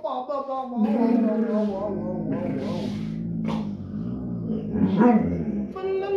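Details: Giant Alaskan Malamute puppy talking: drawn-out, tonal woo-like vocal sounds with rich harmonics, wavering and bending in pitch over several seconds, with music playing in the background.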